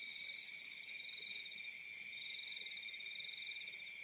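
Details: Field crickets at night produce an unbroken high, shimmering trill with layered tones and a fast pulsing chirp above, nothing else clearly heard.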